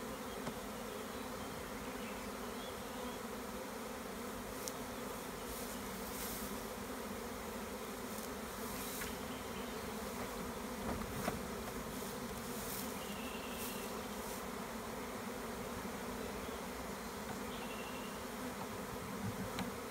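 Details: Beekeeper collecting a large swarm of honey bees in the Maremma, Tuscany, in spring; dense continuous humming of many bees with scattered short clicks and taps, plus faint distant bird calls.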